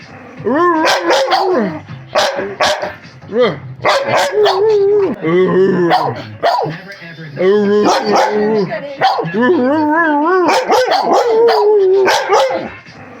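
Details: Siberian Huskies arguing indoors, a rapid series of yelping barks mixed with wavering, whining howls and talking-like vocalisations, several dogs overlapping, loud and nearly continuous, with a person speaking briefly.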